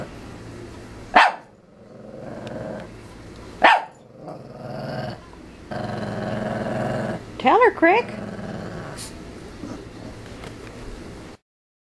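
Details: Playful Shih Tzu puppy in a playpen, so excited she leaps off the walls: sustained low growling broken by sudden sharp yaps and a wavering whine near the end, with a person's voice mixed in.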